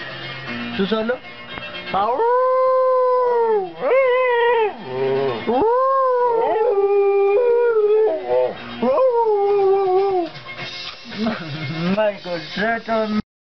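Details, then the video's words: Pet dog "singing" in long, sustained howls that rise and hold steady before sliding down, several drawn-out phrases in a row with slight wavering pitch; a faint background hum and occasional human voice. "Perro cantando"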